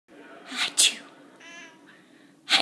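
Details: A cat sneezes repeatedly, sharp hissing bursts with a short squeaky breath between them, ending in another explosive sneeze.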